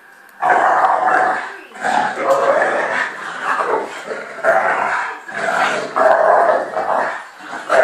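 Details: An American Bulldog, three-year-old Fudge, wrestles with new puppy friend Patch. Deep rasping growls arrive in four long surging bouts of about a second or more, separated by short quiet gaps.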